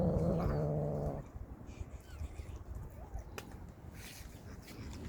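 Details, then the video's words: Street cats attacking each other out of hunger: a harsh, wavering yowl fills the first second, then cuts off, leaving low rumbling noise with faint scuffing and a sharp click. "Street cats were attacking each other out of hunger and making scary sounds"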